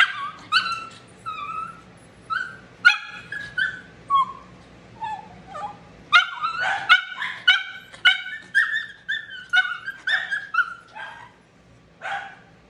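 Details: Shih Tzu being dried, a dog that bites when hurt and hates any discomfort. Shrill yelps and whining barks come in rapid, uneven series, densest in the middle, then trail off.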